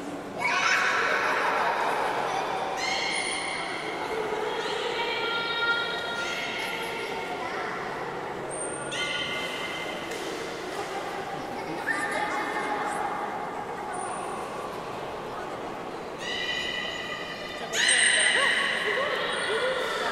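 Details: Belugas during a pool transfer at Port of Nagoya Public Aquarium, 11 August 2018, as an attempt to swap Nana and Hodoi ran out of time. Repeated short harmonic whistles and chirps arrive in bursts, with sharp high clicks between them.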